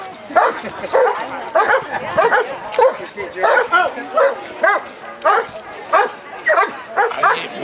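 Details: Echo, a working-line German Shepherd trained as a citizen K-9, barks steadily while showing police K-9 procedure at Woofstock doggie fair, Anthem, Las Vegas NV; a dozen forceful barks roughly every half second, with faint voices and outdoor fair noise behind.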